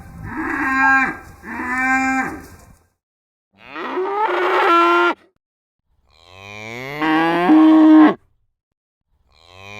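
A cow gives a series of deep, drawn-out moos, each rising and then falling away.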